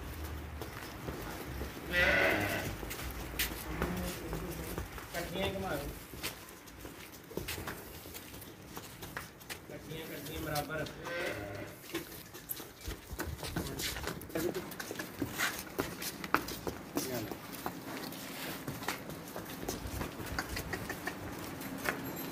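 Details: Two Holstein Friesian cows offered for sale give a few drawn-out moos, one loud near the start and another midway, while a man talks in Hindi throughout about their milk yield and quality.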